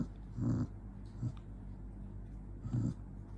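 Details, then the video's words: Angry dog growling softly in short low rumbles, one near the start and another toward the end, with quiet breathy sounds in between. "Jonggi the dog get angry"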